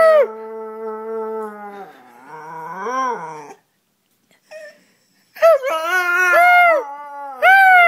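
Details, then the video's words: Charlie the dog mimics its owner with a steady howl that breaks into a wobbling, swooping note, a pause, then a string of bending, yodel-like howls ending in a rising cry. "Charlie making noise"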